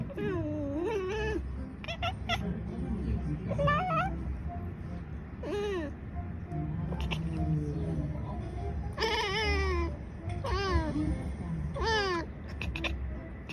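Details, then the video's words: Pair of house cats trading meows back and forth as a conversation; rising and falling harmonic calls, some drawn out and wavering, arriving in irregular bursts across the stretch, with low music running underneath. "conversation between two cats"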